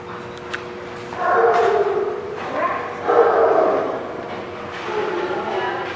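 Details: Dog giving three drawn-out, harmonic, somewhat whiny barks spaced about two seconds apart, with a steady low hum and faint background noise between calls.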